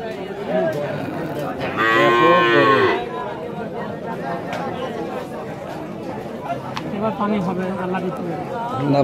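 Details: Holstein Friesian cow in a crowded Rajshahi market, Bangladesh, letting out one brief strained moo, surrounded by steady crowd noise and voices.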